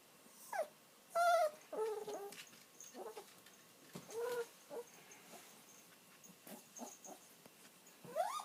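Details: An elderly pet dog whimpers while waiting for its owner to come home, giving short high whines that rise and fall, some brief and sharp, others drawn out, spaced irregularly over a quiet room hiss.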